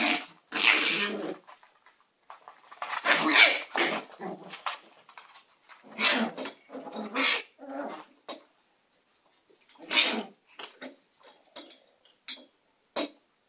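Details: Young Shiba Inu puppy Akira, aged five days to six weeks, lets out a series of short, irregular yelping bursts separated by silent gaps, roughly one every few seconds, with smaller clicks toward the end.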